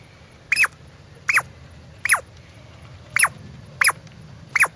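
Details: Squirrel calling with six sharp, high squeaky chirps, each briefly rising then sliding downward, spaced about every three-quarters of a second over a faint low background hum.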